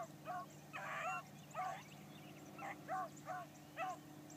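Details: Blackcreek gyp hound on her first morning hunt, trailing game: six or seven short, falling bawls about half a second apart, each a clear tonal howl-bark, over a low steady engine hum.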